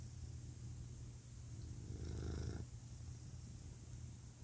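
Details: Deep, even purring of a male house cat, a soft pulsing rumble that rises into one brief louder surge midway before settling back to a quiet hum.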